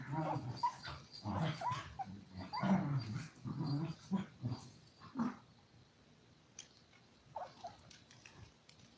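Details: Five-week-old toy poodle puppies from a live stream of seven pups eating, playing and sleeping. Low, rough growls and whiny yelps come in bursts for about five seconds. After that the room falls mostly quiet, with a couple of faint squeaks.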